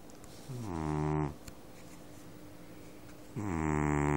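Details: Domestic cat asleep, snoring like a man: two deep, raspy snores about three seconds apart, each swelling and rising slightly, with quiet room hush between them.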